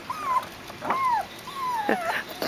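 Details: Seven-week-old Biewer Yorkshire Terrier puppy Bruno, in breeder's puppy training, suddenly frightened while crossing a pond bridge: three thin, high whimpers sliding downward in pitch, whistle-like and drawn out, with soft clicks and faint background hiss.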